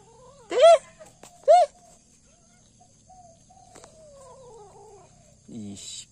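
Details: Kittens at home, with the mother cat eating a rat she brought back, give two loud, high, arched meows about a second apart, then quieter falling whines and a brief rustle near the end.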